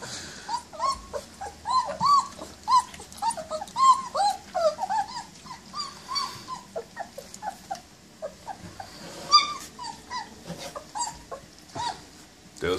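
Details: German Shepherd Dog, also called Alsatian: a run of high whining whimpers and yips, short rising and falling cries repeated about every half second, with brief pauses and faint background noise.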